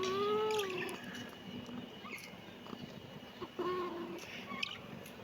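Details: Kitten giving two short meows, the first falling slightly at the start, the second after a pause near three and a half seconds, with faint clicks and a low hum between.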